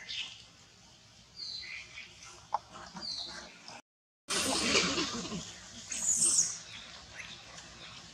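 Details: Monkeys fighting near a forest, reportedly over a queen, screech harshly in a cruel attack, with shrill bursts breaking out after a brief pause.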